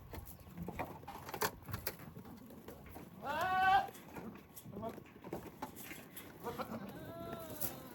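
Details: Goats, including pregnant does and kids, eating dates thrown inside a fence while others graze outside; a single wavering, quavering bleat rises briefly mid-clip over a murmur of human voices and farmyard background noise.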